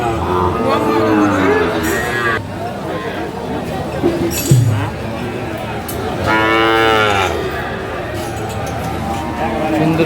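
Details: Friesian and cross-breed bull calves, about six to seven months old, at Aftabganj cattle market (haat), Dinajpur, on 2 October 2024; a long, low, drawn-out moo swells near the end, over steady crowd murmur and a man talking.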